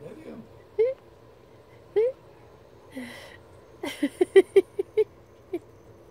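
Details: Poodle barking at elk: a few spaced single yaps, then a quick burst of five or six sharp barks near the end, with a low steady hum in the background.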